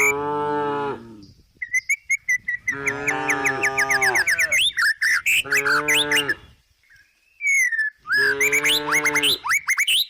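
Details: Four separate low, droning moos from a tame cow resting in the countryside while eating grass, each a second or so long with gaps between, and busy high bird chirping throughout.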